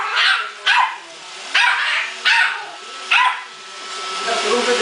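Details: Male Yorkshire Terrier confronting a robot vacuum: four shrill yaps spaced about a second apart, then quieter rustling, with a continuous motor drone beneath.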